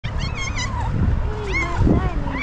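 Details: Domestic cat giving a few high, arching meows with rich harmonics, one long drawn call in the middle and a shorter one near the end, over low rumbling background noise.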